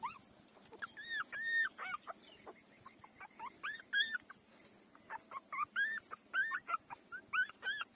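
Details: Puppies just four days old take to breastfeeding with insistent whimpering: high, bent whines that rise then fall, coming in quick clusters of two or three, roughly every second, with brief pauses between bursts.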